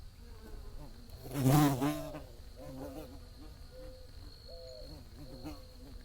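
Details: Bee buzzing: a loud, rough buzz swells sharply around the middle as if passing close, then sinks back to a softer wavering hum, over a steady thin high whine and low background rumble.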